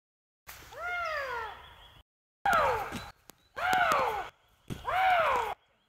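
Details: Eurasian lynx calling: four drawn-out wailing cries, each an arched, rich harmonic note bending up then falling, the first lasting over a second, the others shorter, separated by brief silences.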